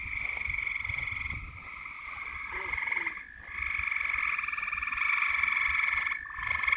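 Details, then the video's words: Frogs at night give a dense, buzzy trill chorus of rapid pulses. It dips briefly around the third second and again near the sixth, then resumes at full strength. "SOUNDS OF FTOGS AT NIGHT"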